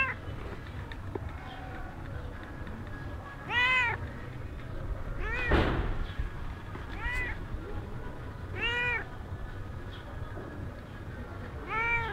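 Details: Stray cat somewhere in Sharm el Sheikh, Egypt, mewing: four clear, arched harmonic meows spaced a few seconds apart, with a brief thump near the middle and steady low background hum.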